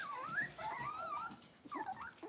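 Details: Blenheim Cavalier King Charles Spaniel puppy, six weeks old, one of a litter of five kept in a home puppy pen: thin wavering whimpers sliding up and down, two drawn-out cries separated by a short pause.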